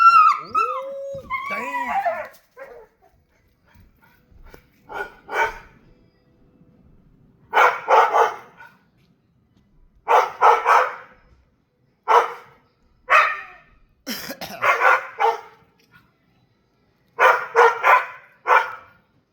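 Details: Dog outdoors barking at a bird or squirrel: short bursts of rough barks in clusters spaced through the recording, with a woman's questioning voice at the start and silence between bursts.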